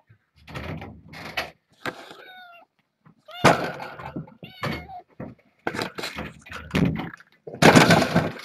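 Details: Foster kittens born August 29th, noisily demanding to get over the fence and escape to explore in the morning; several short, bent, harmonic mews sound between knocks, thuds and rustling indoors.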